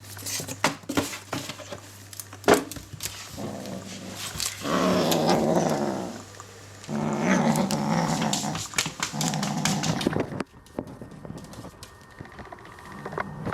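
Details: A Bengal kitten indoors growls while guarding a toy it treats as prey, refusing to let it go; long rough rumbling growls come in two extended stretches, with scattered clicks and rustling handling noises around them.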